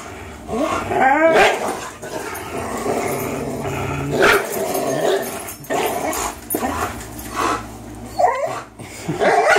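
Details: Greyhound and German Shorthaired Pointer, both 3 years old, tugging a toy against each other: a few short growling yelps and barks in separate bursts over low background noise.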